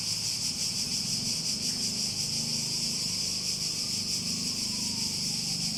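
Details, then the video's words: Cicadas in a nature setting give a dense, steady high buzz that shimmers with fast regular pulsing, carried over a low droning hum and faint gliding tones in the background. "Relaxing Sounds With Cicadas"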